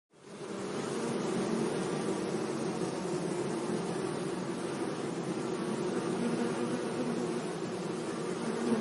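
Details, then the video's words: Bees buzzing among flowers in a sunny meadow, a steady, dense hum that fades in during the first second, then holds without a break, low and droning with a fuller band of overtones. "Relaxing Bee Sounds"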